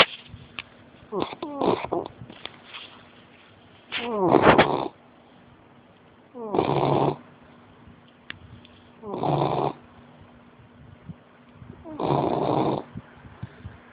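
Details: Sleeping American Bulldog snoring, long rasping breaths lasting about a second each and coming every two to three seconds, over a low steady hum.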